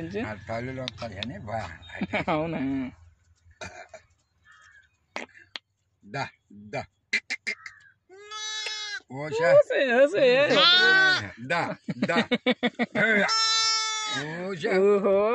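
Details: Day-old lambs at a village farm giving a rapid run of wavering, quavering bleats, some high and thin, others lower, with scattered short clicks and quiet gaps in the middle stretch.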